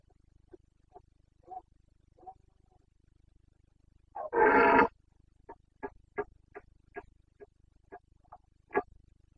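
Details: Carpathian red deer stag during the breeding season in Bucovina, 29 September 2022 (boncănit): faint grunts, then one powerful full-throated roar of under a second, followed by a rapid train of about ten short coughing grunts.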